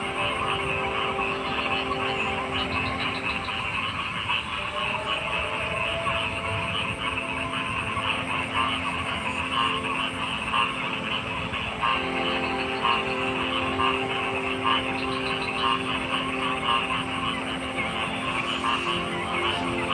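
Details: Frog croaks come about once a second in a loose, uneven rhythm, mixed with a steady engine-like hum and an unbroken high hiss throughout.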